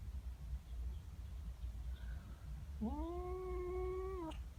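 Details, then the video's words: Female house cat upset by another cat in her garden: after a quiet stretch of low rumbling background, one steady drawn-out yowl of over a second rises in at the start and ends abruptly. "Cat doesn't like the neighbour cat. FUNNY WEIRD CAT NOISES!!"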